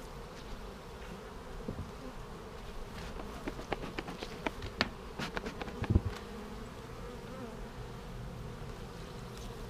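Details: Honey bee colony humming while a beekeeper checks a vertically split hive for queen cells on March 10, 2019; steady low buzz under a run of sharp clicks and knocks from handling in the middle.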